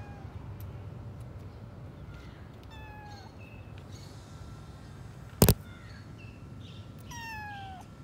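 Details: Abandoned kitten, scared, found in a dilapidated house and taken in by an animal rescue team: several high, falling meows with clear harmonics spread through the clip, one sharp knock midway, low background hum throughout.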